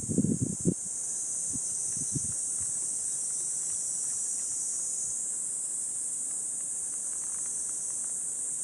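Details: Cicadas calling on a 37°C summer morning, 23 July 2026, along a walking path in Gifu Prefecture Hyakunen Park, Japan, under dappled sunlight: a steady, high, hissing drone fills the air, with crunching footsteps in the first second.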